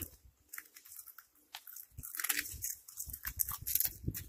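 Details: Cat eating, giving crisp, irregular crunching and biting sounds: sharp broadband clicks and snaps come in quick uneven bursts, denser in the second half, with soft chewing thuds between them in a quiet indoor setting.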